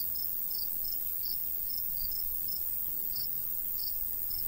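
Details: Crickets of a summer wheat field in the countryside, light breeze; scattered high, bright chirps spaced roughly every half second, with gentle wind rumble below.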